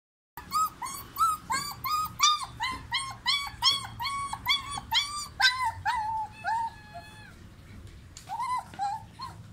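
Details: New puppy whining in a string of high, tonal, slightly rising whimpers, about two per second, then longer, flatter drawn-out whines and a final short whimper.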